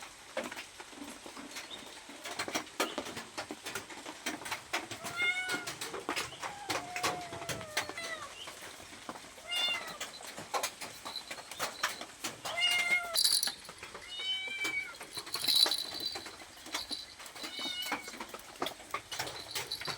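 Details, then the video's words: Hungry cat asking for food, repeating short falling meows through the stretch, some closer together, against steady clicking, tapping and faint background noise. "Suara kucing minta makanan"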